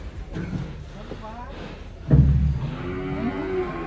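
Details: Giant Pegon cattle being unloaded from a truck at a cattle contest in Kediri, 2022; after quiet rumbling, a loud, deep moo bursts out midway, followed by a steadier low harmonic lowing over background music.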